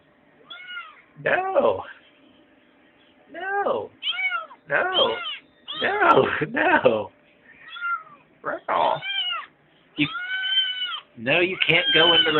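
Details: Kitten whining to get something from the refrigerator: insistent, repeated meows, some clear and bending, others harsh and grating, coming in quick bursts, with a person's voice overlapping in places.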